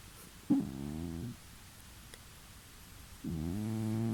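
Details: Domestic cat snoring while asleep in the next room of a new home, about two weeks after moving; two drawn-out, low, harmonic rasping breaths, each lasting about a second, with a quiet pause between them.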